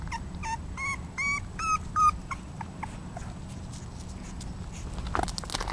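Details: Female English Bulldog puppy Lokita, 35 days old, lets out a rapid series of clear rising-falling whines in the first two seconds, each a little longer and louder, then falls quiet apart from soft clicks and rustling.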